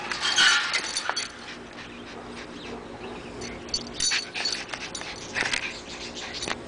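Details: Six-month-old AKC Miniature Pinscher pup jumping over a four-foot fence. It gives brief, high whimpering yips in scattered short bursts, with one clearer cry near the start, over a steady background hiss and rattling noise.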